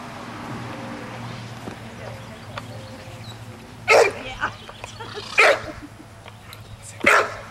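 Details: A 9-month-old American Bulldog during a training session on June 24, 2007, gives three loud, sharp barks spaced over about three seconds, following a stretch of low background hum and quiet human speech.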